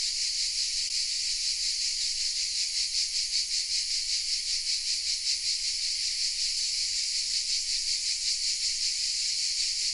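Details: Cicadas singing from oaks in the village of Vézénobres, southern France, captured on a camera: continuous shrill buzzing wall of sound, evenly pulsing about two or three times per second, unbroken for the whole stretch.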